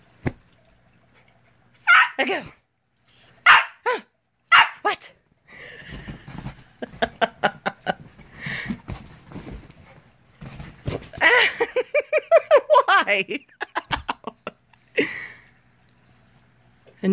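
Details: Young male Siberian Husky, part Alaskan grey wolf, born April 2017, vocalizing at home at 5:30am; scattered sharp barks, a rapid run of short pulsed yips, then a drawn-out wavering howl-like moan, and more yelps at the end.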